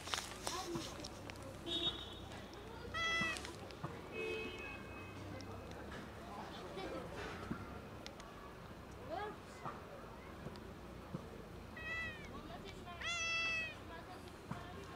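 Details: A sad cat gives several drawn-out, harmonic meows, one near the start and louder ones around three and thirteen seconds, over steady outdoor urban background noise with faint voices.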